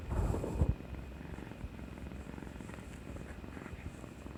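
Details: Cat Kuri-chan, affectionate after a vaccination shot, 18 March 2020; a loud rustle opens, then a soft, rapid, low purr pulses steadily for several seconds, with a faint electronic hum in the background.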